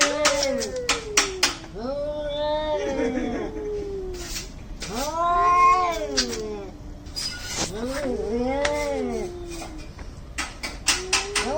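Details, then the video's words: Two angry cats fighting in India, trading rising-and-falling yowls, some overlapping, each lasting about a second or two, with sharp tapping clicks between the calls. "CAT FIGHT ANGRY CATS - Making weird noise"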